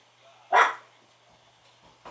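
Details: Indoor Chihuahua barking fiercely at the doorbell chime, before any anti-barking training: one sharp, loud, high yelping bark, then quiet, with the start of another bark at the very end.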